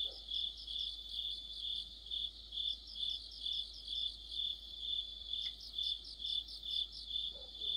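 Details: Autumn night chorus of crickets and fellow insects under a street lamp: a shrill sustained trill with regular pulsed chirps a little over twice a second, plus a brief soft knock midway.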